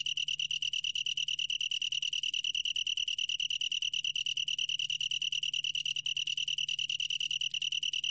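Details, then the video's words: A Long-tailed tree cricket's song from the National Institute of Biological Resources, 2020: a sustained, bright, high-pitched trill of quick rhythmic pulses, steady in pitch and loudness from start to finish. "긴꼬리, 여러번 듣기, 곤충소리"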